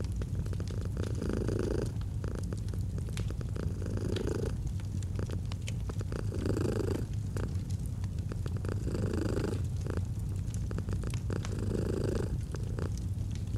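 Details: Domestic cat purring beside a crackling fireplace in a cozy autumn setting: a steady low rumble that swells and eases in breath cycles roughly every two seconds, with sharp fire pops scattered throughout.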